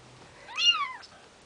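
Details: Bengal kitten just over two weeks old, one of Ariel and Dream's litter, giving a single high, thin mew that rises and then falls, about half a second long, in an otherwise quiet indoor setting.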